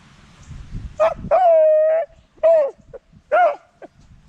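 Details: A Beagle gives a run of tuneful, wavering howls, one long and drawn out, the others short.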